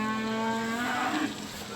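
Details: At a Beylagan livestock market in Azerbaijan, 27 May 2021, where Simmental calves are sold, a steady low moo sounds for about a second and then fades into crowd murmur and general market noise.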